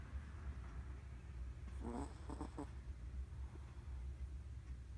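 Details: Ran, a Chihuahua, snoring during a midday nap while twitching; a single short rattling, vibrating snore near the middle over a steady low indoor hum.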